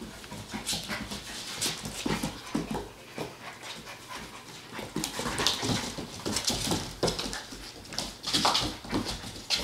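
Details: Standard Poodle puppies at eight weeks old: a few thin squeaky whines break through a busy run of clicks, pattering paws and rustling, louder toward the end.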